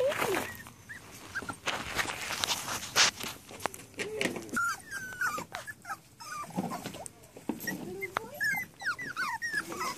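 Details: Rat Terrier puppies, seven and a half weeks old, whimpering and whining in high, sliding squeals that rise and fall, many overlapping through the stretch, with a person talking and scuffling, handling noises around them.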